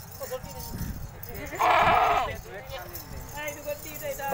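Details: Nagri goat giving a loud, wavering bleat lasting about a second, with several fainter bleats before and after; people talk throughout.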